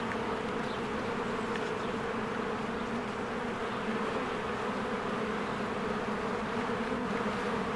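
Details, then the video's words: At a spring hive, a crowd of honeybees comes and goes, producing an even, dense drone of overlapping wingbeat hums. It stays constant throughout, with only a faint occasional high tick above it. "1 Hour of a Beehive ASMR"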